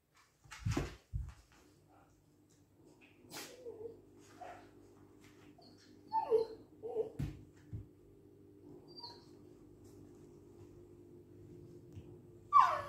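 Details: Siberian Husky named Sarmat, indoors, said to be showing shame: a few short whimpering whines and soft yelps scattered over thirteen seconds with quiet gaps, a steady low hum underneath, and one sharp high cry at the end.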